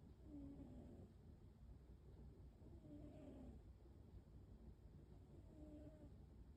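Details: An American Shorthair pet cat called Waffle snores at home, giving three faint, low, whistled breaths spaced about two and a half seconds apart against constant low hum.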